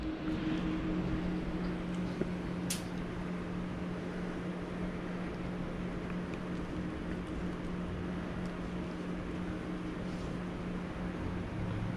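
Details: Steady low engine drone inside a moving vehicle, with a faint mechanical whine and one sharp click near the start.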